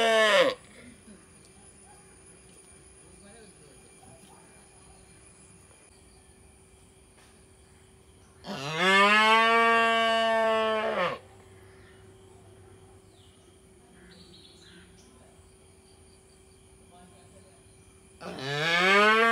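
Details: Young calf from an Indian village mooing repeatedly: a call cut off at the start, a strong harmonic moo of about two and a half seconds in the middle, and another beginning at the end, with low hum between.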